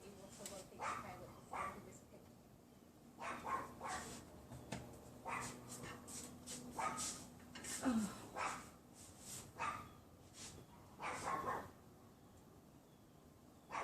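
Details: Hidden neighbour's Pomeranian heard through a bedroom window on a windy afternoon, 6 February 2015: bright, high yaps in irregular runs with short pauses, wind audible between them.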